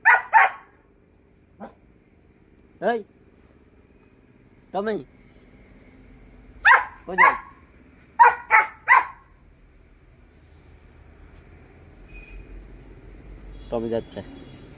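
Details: Hunting dogs during a rabbit hunt barking repeatedly: short, sharp barks in scattered singles and quick runs of two to four over about fifteen seconds, then quiet rustling and a final burst of sound.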